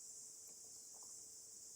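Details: A stone cicada sings loudly in a steady, high, hissing drone without a break, near the end of its short adult life.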